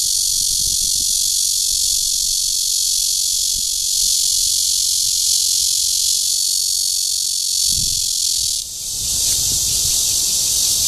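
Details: Courtship calling of Cryptotympana holsti at Guangming Park, Zhongli, Taiwan, recorded 28 June 2013. A continuous shrill, high buzzing rasp holds throughout, dipping briefly near the end, with some low knocking noises underneath.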